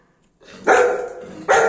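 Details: A female Golden Retriever gives two loud, gruff, full-throated barks close together, the second short and sharp after a pause. She smelled boiled potatoes and is demanding one from her owner.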